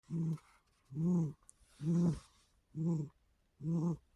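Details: Snoring of a cat named Sharpshooter, sacked out hard after playing all night, resting on a relaxing afternoon; low rumbling snores in five even bursts, roughly one a second with quiet gaps between.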